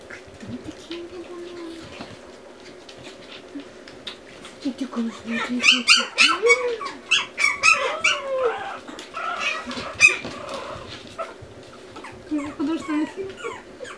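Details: A burst of loud, rapid yelping and squealing from Pomeranian puppies builds in the middle seconds, with sliding whines before and after, recorded indoors over a steady hum.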